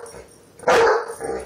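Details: German Shepherd protecting babies and kids, one loud sharp bark in a short burst with a quieter follow-up sound after it.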